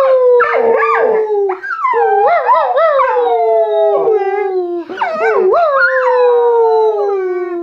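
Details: A Golden Retriever "sings" along with a person, howling in long, wavering, tuneful phrases that rise and fall.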